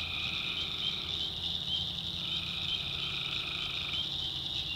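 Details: Swamp in the North Carolina backwoods at night, where tree frogs form an unbroken high, pulsing chorus over a steady lower droning band of calls.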